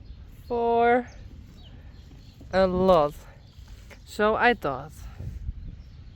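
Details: Friesian horse calling outdoors in a rural setting: three loud harmonic neighs, the first steady in pitch, the later ones quavering and shaking, spaced about one and a half seconds apart over a low background rumble.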